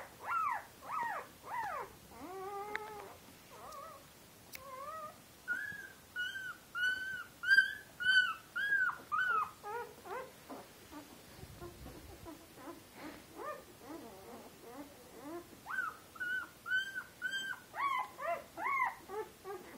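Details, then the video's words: Litter of eight Turkmen Alabai puppies, Central Asian Shepherd Dogs born February 8, 2013, at a kennel; uneven chorus of thin rising-falling whines and yelps from several pups, some overlapping, with a short quieter gap midway. "Turkmen Alabai (CAO) Puppies!"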